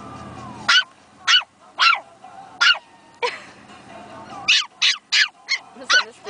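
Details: Pomeranian puppies, a female and a male, barking for the first time: thin, high yips spaced about half a second apart, then a faster cluster, over faint background hum.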